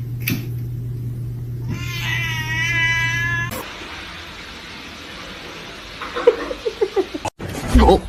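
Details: Pet cat indoors giving one long drawn-out meow with a wavering, slightly rising pitch that lasts about a second and a half, followed by a few shorter, fainter mews; room hum and background noise throughout.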